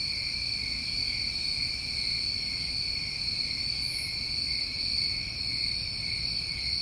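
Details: Night-time crickets of a New England summer keep up a smooth, unbroken high trill in two layers; a single short hiss rises above it midway, otherwise just the constant ringing.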